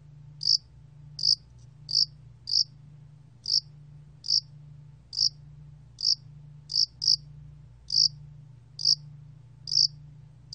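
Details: A hill spotted cricket (야산알락귀뚜라미), recorded in 2020, gives short, bright, high, ringing chirps about once a second at a slightly uneven pace, over a faint steady low hum.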